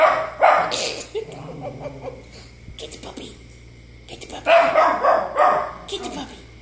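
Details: Pet dog reacting to dogs on a TV screen with loud, rough barks, a cluster early and another burst of quick barks near the end, mixed with household noise and background talk.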